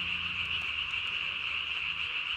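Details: Calling Japanese tree frog recorded at night, 3 May 2020, inflating its single vocal sac beneath the chin to about body size; an unbroken, rapid high trill fills the whole stretch.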